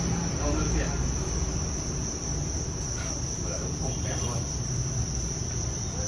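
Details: Thai crickets kept in large numbers on a breeding farm produce a constant, piercing high trill. Low rumbling noise runs beneath, with faint voices in the background.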